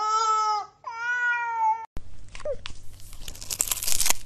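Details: Domestic cat in a funny cat compilation gives two drawn-out, strongly harmonic meows back to back, each under a second, the second ending on a slight downward slide; rustling and crunching handling noise follows.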